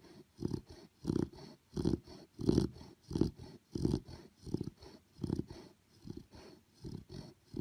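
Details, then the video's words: Sleeping puppy snoring loudly indoors, low rumbling breaths pulsing steadily more than once a second, each snore a short throaty burst with a quiet gap between, the rhythm slightly uneven. "Cute And Funny Snoring Puppies Compilation!"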